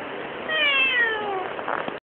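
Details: Domestic cat filmed in close-up, giving a single drawn-out meow lasting over a second, its tone sliding gently downward and ending in a brief rougher note, over a faint steady background hum.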